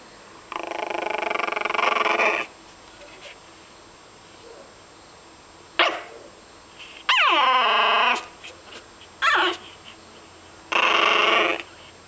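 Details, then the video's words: A fawn pug puppy growls in harsh, drawn-out bursts broken by short, sharp yipping barks. "fawn pug puppy growling and barking"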